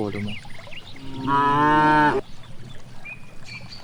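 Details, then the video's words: Cow grazing in a large rice field, giving one steady harmonic moo of about a second, with a shorter lowing start at the beginning; birds chirp faintly in the background. "the sound of cows"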